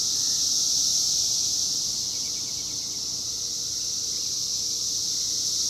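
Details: Cicadas calling in 2021, their year of emergence, make a steady, shrill, high-pitched drone that runs unbroken from start to finish with no pauses or other sounds.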